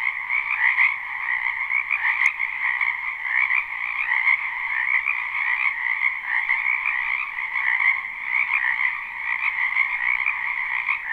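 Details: Live spring recording of many wetland frogs croaking: a constant, layered chorus of buzzy trills rising and falling gently in loudness, a single short click near the start.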